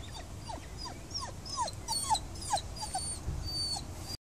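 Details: Dog whining by Hengstey See in Hagen, Germany, unhappy at not being allowed into the water: thin, high falling whimpers repeated in quick irregular series over a low rumble of wind or background noise.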